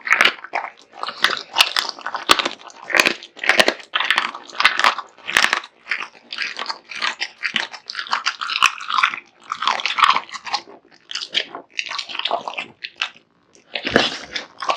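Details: Big-eating male American Bully Kotetsu tearing into a heaped meal of raw meat and bones; steady rapid crunching and biting, clusters of chews separated by short gaps, one near-silent pause toward the end.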